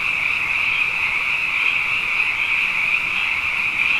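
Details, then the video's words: Abundant frogs calling at night after two wet years in a row, a dense, unbroken high-pitched chorus that hums steadily with slight pulsing throughout, no other sounds standing out. "Frog Songs: Na Mele o nā Paloka"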